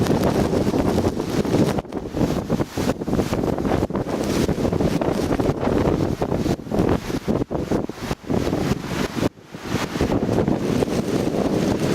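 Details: Heavy wind buffets the microphone throughout a mountain walk in late-March heavy snow in Gangwon Province, Korea; no animal sounds.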